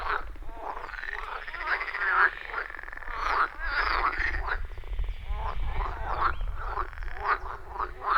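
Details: Dense frog chorus from a pond deep in the forest, recorded on iPhone 14 Pro with Shure MV88+; continuous overlapping raspy croaks with little pause, plus steady low background rumble.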